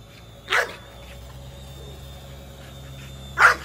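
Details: Female American Bully Nola, chasing a flying drone, lets out two separate sharp barks about three seconds apart, with a quiet steady drone hum between them.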